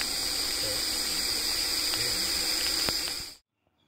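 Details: Russell's viper (ghonas), a venomous snake, hissing to defend itself, a sound described as louder than a pressure cooker whistle; a steady, loud, breathy hiss holds for about three and a half seconds, then cuts off into silence.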